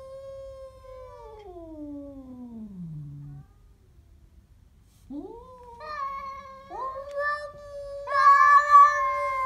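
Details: A Siamese cat growls at a stray cat with long, drawn-out moaning yowls, first sliding downward, then rising and swelling louder.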